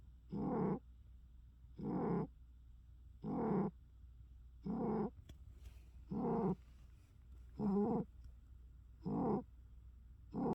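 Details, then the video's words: Domestic cat snoring heavily and steadily, eight harsh, rasping breaths in a regular rhythm about every one and a half seconds, each snore short and buzzy, with a quiet low background hum between them. "cat furiously snoring"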